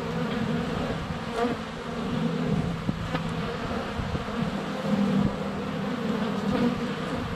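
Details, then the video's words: Honey bees crowd the air at their hive entrance during sunny February weather, the GoPro Hero 7 Black less than a foot off: a low, wavering hum whose pitch shifts as individual bees pass, with soft taps of bees landing. "4K Honey Bees - ambient video and audio"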